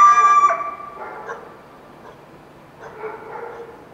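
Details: Wild coyote yelping at dawn after a full moon night in the foothills of the Washington Cascades: one loud, strained, harmonic yelp at the start, then fainter broken yelps fading into an echoing, quiet background.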